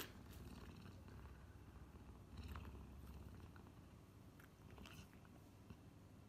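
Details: Puma Messi, a pet puma, trying to get a glass of kefir; a low, steady purring rumble fills the clip, with scattered clicks and chewing-like crackles above it, indoors in a small room.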